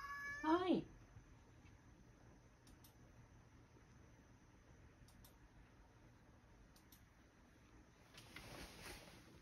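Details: Rescued male house cat meowing indoors, apparently not wanting the grandmother he lives with to leave; one wavering, falling meow at the start, then a near-silent room.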